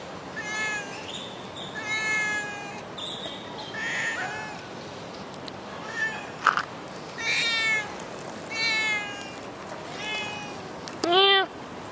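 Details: Stray cat in Singapore calling in a series of short wavering meows every second or so, ending with a sharp rising cry, amid a few clicks and background hiss.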